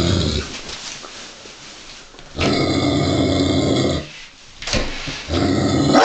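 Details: Male Giant Schnauzer, 49 kg, growling uneasily at a 7 kg wooden children's toy sheep covered in real sheepskin; a faint rumble at first, then two loud, rough, harsh growling bouts of about one and a half seconds each, separated by a short pause.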